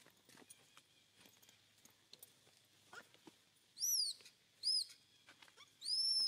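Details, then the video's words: Hungry baby monkey crying as its mother weans it off milk: three loud, high, arched squealing cries in the second half, each about half a second, the last one longer, over faint clicks and rustling. "BABY MONKEY CRYING HUNGRY"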